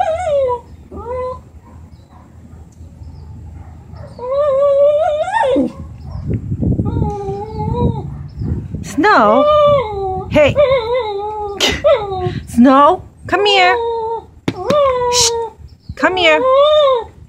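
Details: Lhasa Apso dog angry at a black lab in its building, barking more and more emotionally: a rapid series of short, strained, howl-like yelps rising then dropping in pitch, about a dozen bursts, with low background rumble.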